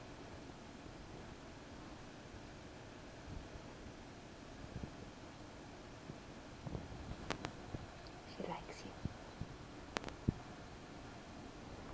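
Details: Faint whispering and soft rustling in a quiet indoor room, with a few sharp clicks near the end and a low background rumble.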